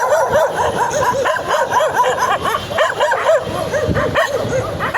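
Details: Several excited puppies bark in a dense, overlapping chorus of high, arched yips, bursting out many times a second with barely a pause between them.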